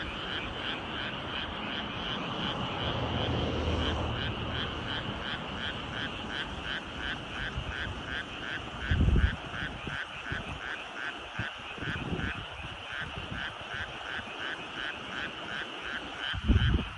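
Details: An evening frog chorus from rice fields near the mountains in Nyuzen, Toyama, Japan: many frogs give rapidly pulsing croaks that form a steady rhythmic trill, with a distant low rumble early on and a few dull knocks.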